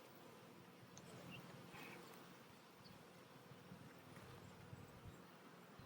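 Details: Honey bees at a hive split during re-queening with a new queen; a steady low droning hum fills the recording with a faint band near the bottom, continuous and even without distinct breaks.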